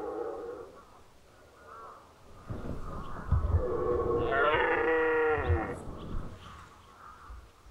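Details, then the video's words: Red deer stag roaring during the 2019 rut in Unteres Odertal National Park; after low rumbling, one long, harsh, strongly harmonic roar swells over about two seconds, then fades into a quieter background. "Hirschbrunft 2019 (red deer rut 2019)"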